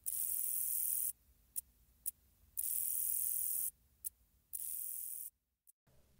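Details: A short-winged meadow katydid (Conocephalus brevipennis), common in Illinois and the Midwest, sings a few quick ticking clicks followed by soft, high, hissing buzzes.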